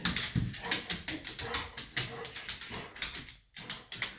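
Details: An indoor 1½-year-old golden retriever confronts a rocking horse in the home with a rapid run of short, sharp barks, about four per second and fairly even, with a brief gap before a few more.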